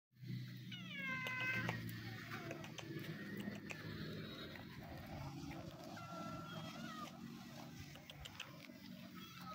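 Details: Two sibling stray cats living on the street, happy when given food, meowing with a clear stepped meow early on, then quieter mews over steady low traffic rumble and background noise.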